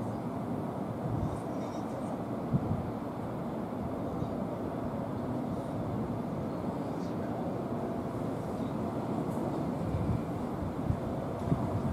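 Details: Continuous outdoor rumble like passing traffic or a train dominates, with a few faint knocks and no clear animal call.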